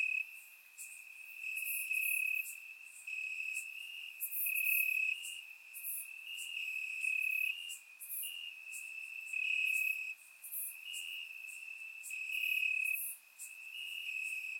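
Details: Warm summer night in Bulgarian grassland, many crickets singing: a high, unbroken trill rises and falls in loudness in regular waves, louder stretches lasting about a second, with higher hissing insect notes overhead.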